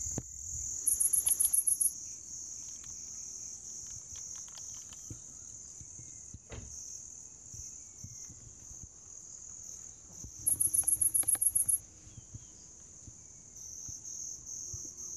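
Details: Grass insects calling, in a recording made to attract cats. A steady, high, thin ringing drone continues throughout. Twice, a burst of rapid, very high chirping trills lasts about a second, and a few soft clicks sound in the background.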